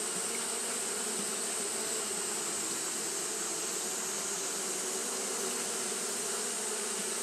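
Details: Japanese honey bees fanning on a hot day: an unbroken droning hum, low and harmonic-rich, holding an even level throughout beneath a steady high hiss.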